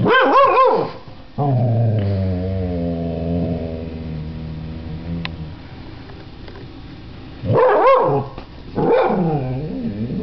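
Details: Scottish Terrier attacking a computer as it starts up: bursts of harsh, harmonic barking and growling open and close the recording, separated by a long steady droning start-up tune.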